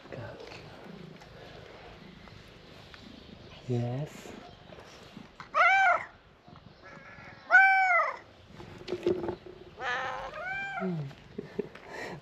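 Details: Tabby cat, a street cat, calling to people after seeing his frightened stray friend; several loud harmonic meows, rising then falling, spaced a few seconds apart, with people talking and coaxing nearby.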